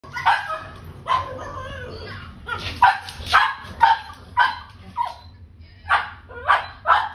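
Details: Pug puppies playing wildly, letting out short, sharp yapping barks in bursts about once a second, some in quick pairs, over a low steady hum.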